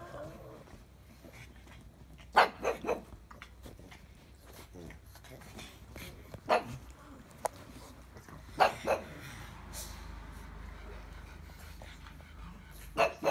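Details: Pug barking in scattered short bursts, some in quick doubles, separated by pauses of several seconds, with faint human voices and low household hum beneath.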